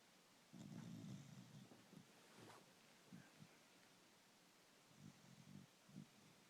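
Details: Sleeping puggle snoring: a low rumbling breath lasting about a second, then shorter soft snorts spaced irregularly, one brief higher rasp in between, indoors and otherwise quiet.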